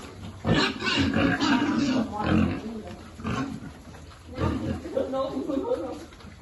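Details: Pigs at a farm where a piglet is being fed grunt in two rough, clustered bursts of deep snorting noises, with human speech mixed in.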